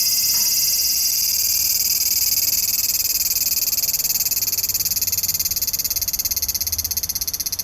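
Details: Large brown cicada calling on 3 September 2015: a loud, steady, shrill hiss that slowly breaks into quick, rhythmic pulsations toward the end.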